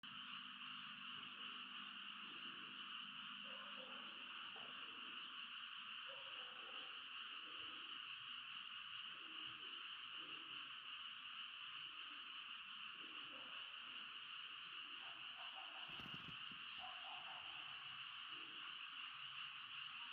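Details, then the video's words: Frog chorus at night at a tent campsite: a dense, unbroken high droning chorus fills the whole stretch, with scattered softer, lower croaks and knocks underneath and a brief sharp noise near the end. "개구리 합창소리"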